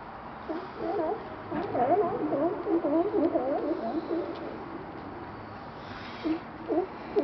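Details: At a dock in Astoria, Oregon, several lazing sea lions bark in overlapping bursts, short rising-and-falling honks tumbling over one another.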